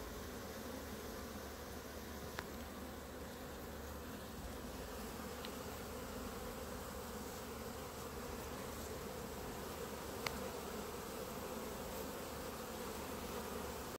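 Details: A grounded clump of honey bees in front of the hives gives a steady, droning hum, broken only by a few brief sharp ticks.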